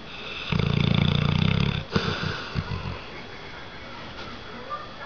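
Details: Loud snoring from Dozer, a red nose pitbull crossed with an American bulldog, asleep when tired: a deep, fast-fluttering rasp of about one and a half seconds, followed by a few soft snuffles and breaths.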